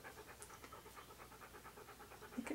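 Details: Siberian Husky named Key panting while posed for a photoshoot in hats and clothing; fast, even breathy puffs about five per second run steadily throughout, with a brief higher sound near the end.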